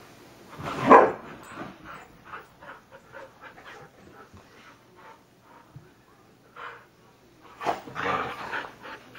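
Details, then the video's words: Sunday-morning Husky noises: a loud, short bark-like burst near the start, then soft panting and rustling pulses, and a second louder vocal burst near the end. "Husky rustle"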